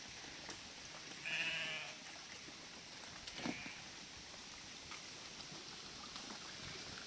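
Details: Sheep from a flock of 1000 being guided by a border collie across a narrow stretch of a river: one wavering, harmonic bleat near the start, set against steady rushing water noise.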